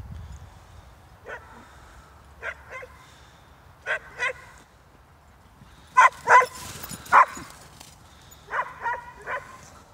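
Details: Two Hungarian Vizslas, Poppy and Darcy, running in Stewart Park, Middlesbrough, give short, sharp yelping barks, single and in pairs, scattered across the clip and bunched most densely in the middle, with quiet gaps between.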